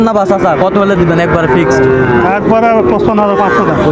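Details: Sahiwal bull calves for sale at the start of Raniganj cattle market in Dinajpur, Bangladesh, on 30 September 2024; a low, steady, drawn-out moo rises over constant crowd chatter and bargaining voices.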